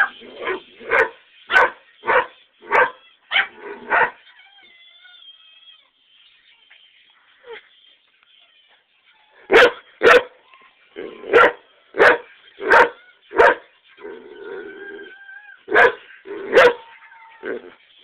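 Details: Greyhound on a back porch, set off barking by greyhound videos playing nearby: runs of sharp, loud barks nearly twice a second, a quiet pause with a faint thin whine, then more rapid barking bouts.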